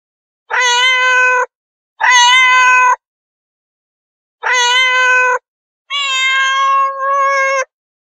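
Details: Domestic cats meowing: four loud, drawn-out harmonic meows, each about a second long, with the last one longest and slightly wavering. Quiet gaps separate the calls, and there is no other background sound.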